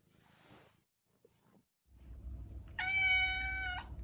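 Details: Cat meowing to get attention or crying to open a door: one short, bright, level meow lasting about a second near the end, after faint rustling and a low rumbling background.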